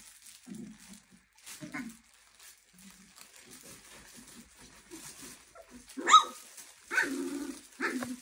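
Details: Litter of Clumber Spaniel puppies, 23 days old, giving soft, low whimpers and short squeaks scattered through the first seconds, then louder, higher yelping whines near the end.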